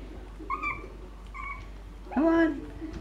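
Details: Shih Tzu puppies, five and six and a half weeks old, giving short high whiny yelps, two brief tonal cries then a longer rising-falling squeal near the end, over faint background noise.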